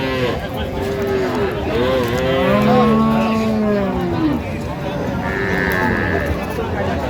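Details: Cow with calf at Raniganj cattle market, Dinajpur, on 23 October 2025; a long, steady, low moo dominates the middle of the clip, with fainter overlapping lowing from other cattle and busy market voices around.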